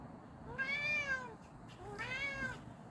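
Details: A pet cat, JJ, calls out to another cat with two long arching meows, clear stacked harmonics, separated by a short pause, against faint low room noise.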